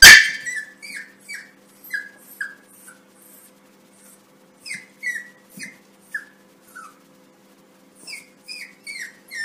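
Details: A Yorkshire Terrier puppy gives high, squeaky yips in quick bursts of two or three at its own reflection in a mirror, apparently taking it for another puppy in the room.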